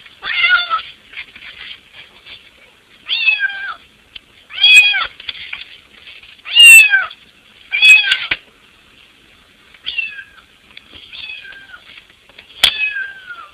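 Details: Pet cat at a window trying to get into the house: a long run of about nine short, insistent meows at irregular intervals, some louder and strained, with occasional sharp taps and scratches.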